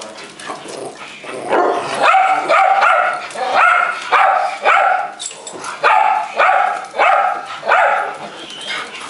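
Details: Several pet dogs, a visiting Pekingese among them, fuss and tease for treats from a man, one dog doing most of the noise; bright, harmonic yipping barks come in quick bursts, roughly two a second, with short pauses between runs.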